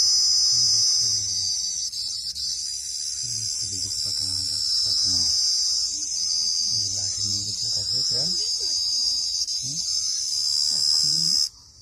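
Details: Steady, very high, ringing cricket call sustained for about eleven seconds, then abruptly cut off at the end. Bengali conversation runs underneath.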